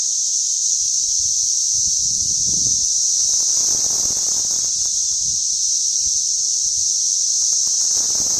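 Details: Steady high whine of cicadas in suburban St. Louis, June 5, 2011, measured with a sound level meter; the dense chorus never breaks or changes pitch, over soft low background noise.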